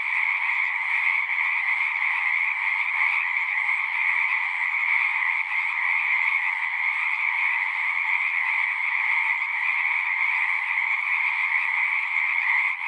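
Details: Chorus of singing frogs: countless overlapping trilling voices merge into one continuous high buzzing wall of sound, level and unchanging from start to finish, nothing else audible.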